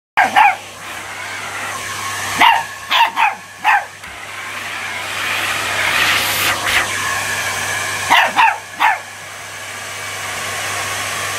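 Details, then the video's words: Chihuahua barking at a Dyson vacuum cleaner indoors: short sharp high barks in bursts of two or three, with a pause while the vacuum's rushing hum swells, then another quick cluster of barks. "Dyson vs Chihuahua"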